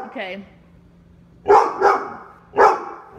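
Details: Pet Labradors (Lola, a four-year-old yellow Lab, with Dale and Max) barking at the door in Omaha during training; a short human voice, a pause, then three harsh barks, the last one after a gap.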